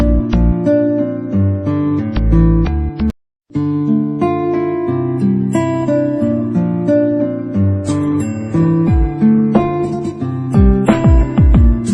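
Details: Strummed acoustic guitar music with a short pause near the start, with no snoring or other animal sound audible.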